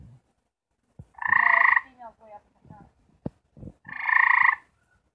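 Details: Gray treefrog, one of four kept together and trying to mate, giving its mating call: two loud, buzzy, pulsed trills about three-quarters of a second each, spaced roughly two and a half seconds apart, with soft voice-like murmurs and clicks between.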